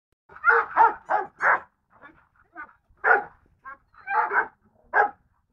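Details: Golden Retriever barking in short bursts, four quick barks in a row, then a pause with faint sounds, then several more scattered barks, in an otherwise quiet setting.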